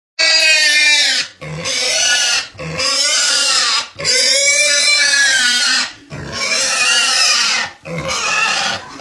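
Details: A sow with a stuck leg squeals in distress: five loud, shrill, harmonic screams, each lasting about one to two seconds, separated by short gaps with brief low grunts.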